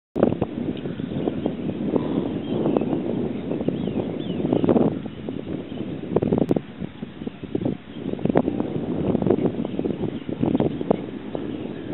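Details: Steady wind and rustling fill the recording, with a low rumble like a distant engine and no clear animal calls.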